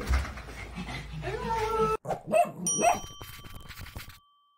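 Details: A happy, excited Rottweiler greets its visiting nanny with high, rising whines and brief yelping barks; a person speaks briefly, and a bright bell-like ding rings out near the end.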